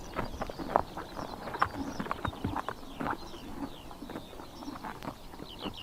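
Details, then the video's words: Horses eating grass in Tuv province, Mongolia, on a summer morning: clear crunchy bites and grass-ripping sounds every fraction of a second, plus light high bird chirps toward the end. "Horses eating grass in summer morning / chomping noises"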